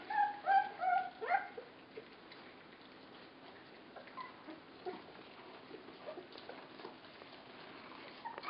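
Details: Puppies 24 days old whimper while being fed, giving a few thin, high squealing whines with wavering pitch in the first seconds, then quieter scattered clicks and soft feeding noises.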